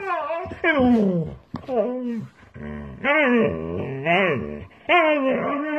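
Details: A husky is talking in a series of yowling, whining calls that swoop up and down. The calls break into short bursts with brief pauses between them, recorded indoors.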